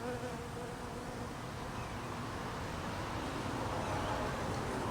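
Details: Cold-weather feeding of hungry honey bees: a loud, unbroken buzzing drone from many bees, even in pitch and volume, swelling slightly toward the end.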